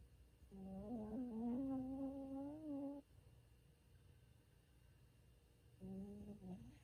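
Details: Bichon Frisé Ttangkong (Peanut) asleep and snoring: a long, whistly, humming snore of about two and a half seconds wavers upward, then a pause, then a shorter tonal snore begins at the end.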